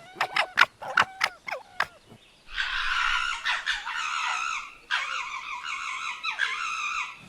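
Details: Red fox (Vulpes vulpes) at night: a few sharp yips, then a long run of harsh, rasping, stuttering chatter in rough bursts like cackling laughter, as foxes play fight and chatter with each other.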